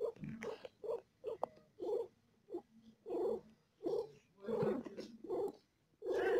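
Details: A mother cat in painful labour with four kittens gives quick, regular purring grunts, nearly one per second, some longer and louder, against a quiet indoor background.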